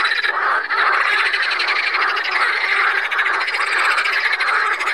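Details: Water frogs (Pelophylax) at Saint Orens de Gameville in a dense, continuous chorus of rapid rattling croaks. The overlapping pulsed calls form an unbroken wall of sound with no pauses.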